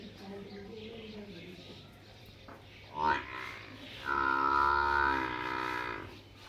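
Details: Water buffalo calf in a village, calling with a short rising cry near three seconds, then a long harmonic-rich bawl from about four to six seconds; faint voices and a low steady hum underneath.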